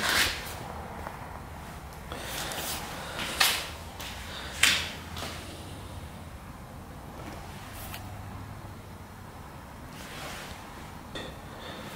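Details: Scattered sharp clicks and knocks, like cupboard doors or handling noises, rise over a low steady room hum, with no animal voice.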